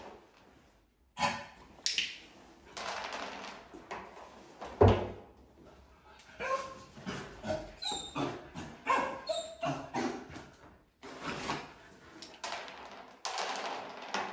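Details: Labrador Retriever puppy on its first day of school, giving a busy run of short yips, whimpers and barks in quick irregular bursts, with sharp high-pitched squeals in between and brief pauses.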